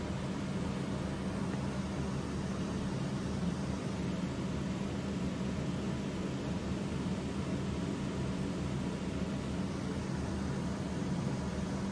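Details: Constant low rumbling hum like a vehicle or air conditioner fills the recording, no animal voice.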